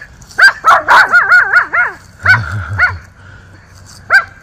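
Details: Miniature Schnauzer brothers barking at neighbours in a yard in Aroostook County, Maine, October 13, 2024: a rapid cluster of high barks flowing into wavering yelping whines, a deeper grumble, then a lone bark after a pause.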